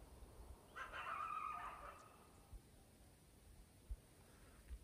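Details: Distant coyotes give a brief, wavering howl-like chorus over a low outdoor rumble before sunrise on a −4°F February winter morning in Grand Teton National Park near Jackson Hole, Wyoming.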